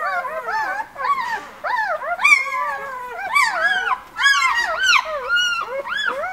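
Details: Newborn White Swiss Shepherd puppies from an August litter at a breeder's kennel, several voices whining at once: looping, up-and-down squeals with some sharper high yelps, steady chorus with short dips.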